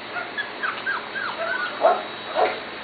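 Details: Two litters of Corgi puppies, Katie's and Venus's, close to seven weeks old, whimper in a series of short, curling whines, a few dropping lower and louder toward the end.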